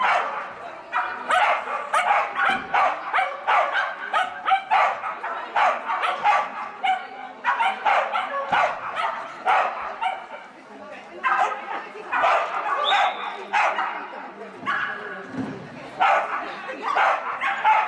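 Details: Schapendoes named Koppalainen barking through an agility run in class M3 at a Vekara Agility trial on 12 February 2017, a disqualified run; harsh, sharp barks come several per second, almost nonstop for the whole stretch.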